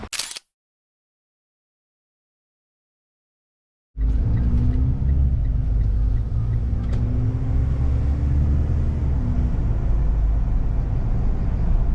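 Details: A brief burst, then several seconds of silence, then a continuous low rumble of a car engine with faint clicks, and no animal sound heard.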